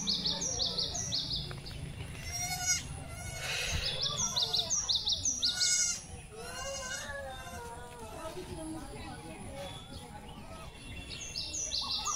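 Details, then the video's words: Newborn goat kids, four born to one doe in a home herd, bleating in high, wavering, repeated cries with overlapping voices; background music and a person's speech are also heard. "আরো ১ বার ছাগল ৪ টা বাচ্চা দিলো"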